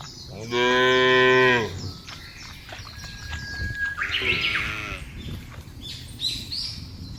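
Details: Cattle in the field: one loud, even moo about a second long, then a shorter, softer moo a few seconds later, with bird whistles and chirps throughout.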